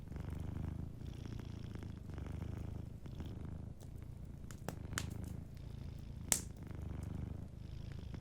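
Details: Domestic cat purring while asleep by a warm fireplace, a low continuous rumble that swells and eases in breathing cycles about a second long, with occasional fire crackles and one bright pop.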